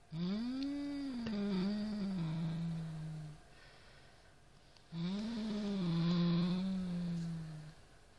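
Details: Siamese cat Norrington facing a rat toy: two drawn-out, low, rising-then-falling growling yowls, each about three seconds, with a quiet pause between, in a small room.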